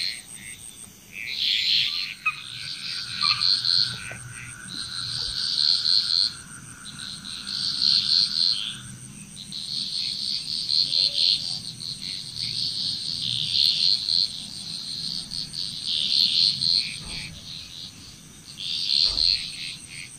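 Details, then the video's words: Frog chorus in Bali, Indonesia: bursts of high, raspy pulsed croaks arrive in groups roughly every two to three seconds, overlapping one another, over a steady thin insect whine and a faint lower drawn-out tone early on. "Frog Chrous"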